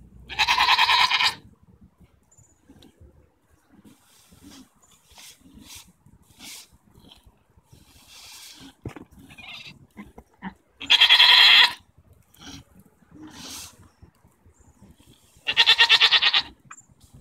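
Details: Domestic goats arguing, recorded June 24, 2014, some flapping their tongues: three loud, harsh bleats with rich harmonics, each about a second long and spaced several seconds apart, between quieter shuffling, snorts and soft clicks.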